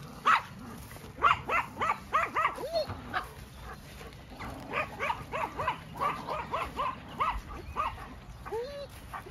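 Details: Two working sheepdogs bark while helping turn a ewe out on a regenerative farm in County Kilkenny, Ireland. Sharp barks repeat in quick irregular bursts, roughly one per second, with a person calling the dogs back.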